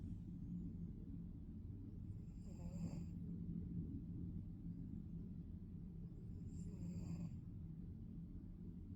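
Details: A sleeping Maine Coon cat snores under a steady low rumble, with two breathy, hissing inhalations about four seconds apart.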